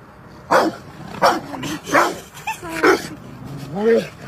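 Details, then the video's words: Rottweiler at play on a field lets out several sharp barks roughly every half second to second, ending with a higher, whining yelp that rises and falls. "Rottweiler Dog Playing On The Field"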